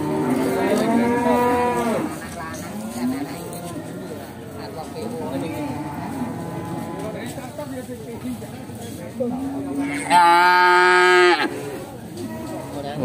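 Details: At the Bekonang livestock market in Sukoharjo, Indonesia, where a nine-month-old Pegon calf crossed with Simmental was brought for sale, cattle give a long moo, softer lowing in between, then a loud, sustained bellow near the end amid market chatter.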